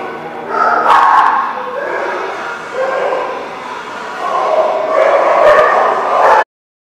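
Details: Barking dogs at The Barking Lot on 11/13/15, a near-continuous run of harsh, overlapping barks and yips with several sharp clicks, ending abruptly.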